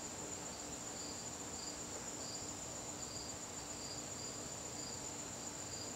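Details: Evening garden crickets in September produce an unbroken high-pitched trill and a row of rhythmic pulsed chirps, roughly two a second, over a quiet hissing background.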